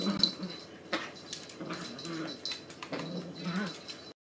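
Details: Jack Russell Terrier and Italian Greyhound puppy at play; short whimpers, yips and low grumbling growls in quick bursts, with scuffling and rustling between them.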